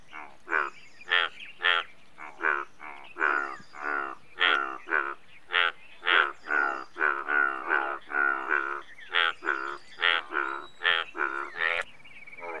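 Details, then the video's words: Chorus of Indian bullfrogs giving rapid, nasal, harmonic croaks one after another for nearly thirteen seconds, several frogs overlapping, with faint high chirps from other creatures above. "Indian Bullfrog"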